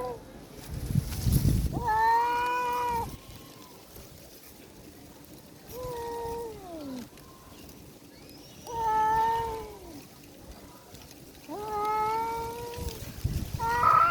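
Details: Domestic cat growling at another cat to drive it away, the female cat fleeing in fear; four drawn-out, wavering, tonal yowls of about one second each, separated by quiet pauses, with a low thumping noise near the start.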